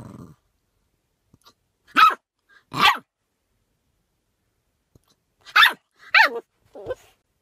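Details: Puppy yapping in short, sharp, high barks: two quick barks close together, a pause of nearly three seconds, then a burst of three more, the last one lower and trailing off, with near silence between them.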